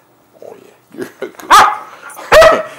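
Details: Siberian Husky playing wildly on a bed; soft grumbles and scuffles lead into two loud, sharp barks nearly a second apart, with an owner talking to the dog nearby.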